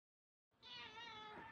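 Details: Domestic cat from a household with a rescued cat named Bunso and her babies at play time; after half a second of quiet comes a single loud, drawn-out harmonic meow lasting about a second.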